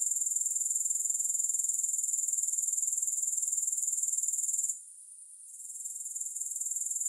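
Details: Unbroken shrill insect buzzing from grasshoppers, no music, throbbing at about four pulses a second, then dropping away for roughly a second near the five-second point before fading back in.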